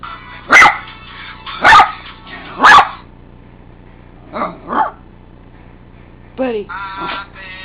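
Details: Buddy, a pet dog, barks at annoying ringtones indoors: three loud, sharp barks about a second apart, then quieter whining yelps and tonal ringtone chimes.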